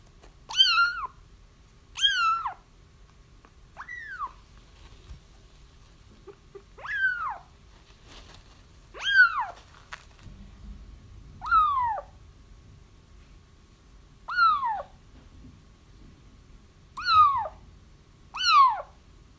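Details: Young kittens whose feral mother is being trapped cry repeatedly: about a dozen short, downward-sliding mews, each under half a second, at irregular intervals, with faint clicks and a low background rumble.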